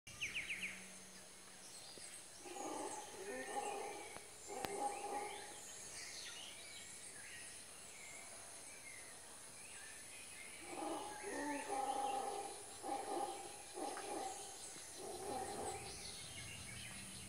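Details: Howler monkeys heard on waking in the early morning at Arenal, Costa Rica, roar distantly in deep, rolling bursts that swell and fade over faint bird chirps.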